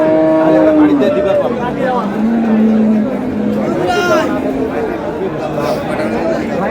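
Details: Market cattle, cows kept with their calves at Amabari haat in Dinajpur, 24 April 2026: a steady mid-pitched moo opens, then lower sliding lows follow, all half-buried under men talking and general crowd noise.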